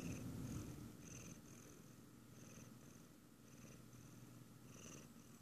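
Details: While its owner eats ice cream, a Siamese cat keeps up a quiet continuous purr, its low rumble swelling and fading in a regular rhythm of about four pulses per second, over a faint steady hum.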